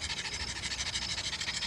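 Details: Nearly six months old, Laika the pug pants quickly and rhythmically on her first trip to a nearby park; short, steady breathy pulses with a faint low rumble underneath.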